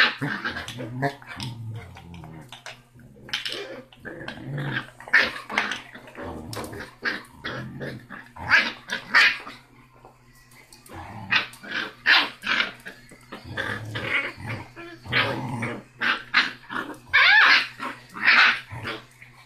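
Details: Six-week-old basset hound puppy called Rocky, loudest of the siblings in his family's fifth litter, picking fights with his brother, mother and littermates; bursts of rapid high yips and snarling growls, broken by short pauses, over faint household hum.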